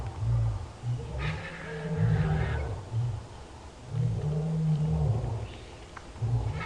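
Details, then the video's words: Five male lions, a coalition, roar together in deep, low, rumbling bouts that swell and fade every second or two, roaring defiance near a buffalo carcass at sunrise in Sabi Sand, with faint background bush noise. "Huge coalition of males roaring their defiance at whatever else is around over here."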